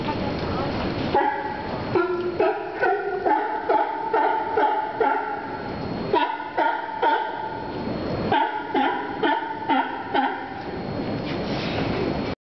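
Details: A California sea lion at a wharf pier in Santa Cruz barks in rapid, hoarse bursts, several per second, over steady surf-like background noise.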